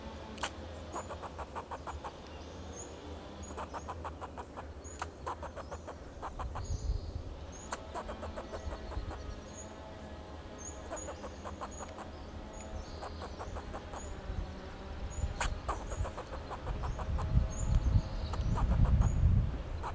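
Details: Fox squirrel alarm calls from a Monterey pine in Del Monte Forest, California, given in defence of itself and its territory: bursts of rapid dry barks in series, faint high whistles, and a rising vehicle rumble toward the end.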